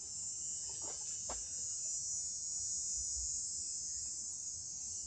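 A cicada drones in a loud, steady, high-pitched buzz that never lets up.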